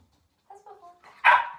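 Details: 15-week-old puppy dog during a training session indoors, giving a short whiny yelp that rises into one loud sharp bark at the end, with a trainer's spoken commands in Swedish around it.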